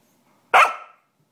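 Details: An Australian Cattle Dog, riled up to howl and shriek, gives a single sharp, harsh bark-like shriek that fades quickly.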